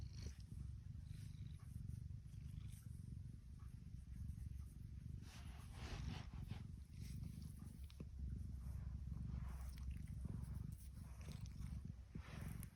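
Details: Contented female tuxedo cat giving a steady, low, unbroken rumbling purr, with occasional soft rustles and clicks from close handling.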